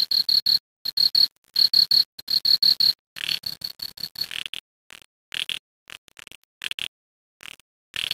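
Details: Cricket chirping at night beside a creek. Clear high pulses come in quick groups for about four seconds. They then turn sparse and fainter, with scattered softer clicks and gaps of silence.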